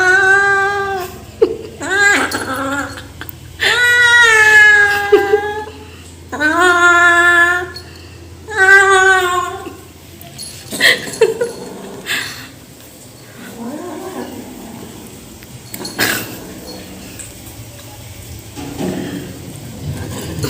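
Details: Male rescue kitten crying while eating food as a person tries to help him: five loud, drawn-out harmonic meows in the first nine seconds, each swelling then flattening, followed by quieter grumbles, clicks and handling noises.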